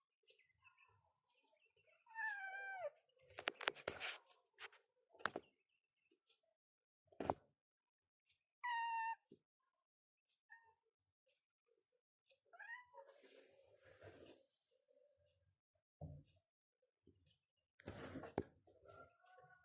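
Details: Domestic cats meowing in a bedroom in the morning, waking their owner; several short rising-falling meows at about two and nine seconds, mixed with rustling, thumps and handling noises indoors.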